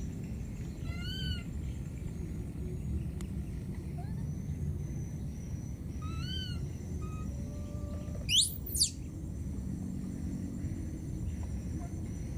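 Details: Lost baby monkey in the wild calling for its mother: short arched, whistled cries with bright overtones, given singly every few seconds, then a sharp rising-falling squeal near the end over low steady background rumble.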